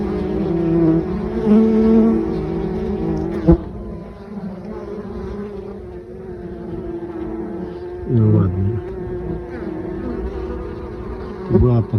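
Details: Honey bees at a beehive on 9 October, bringing in mustard pollen: a steady, humming buzz in layered tones with rising and falling swells, a sharp knock near three and a half seconds and brief louder bursts toward the end.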